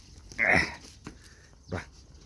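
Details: A neighbourhood dog gives one loud, sharp bark, followed by a faint short click and a softer, brief yelp near the end, against a quiet background.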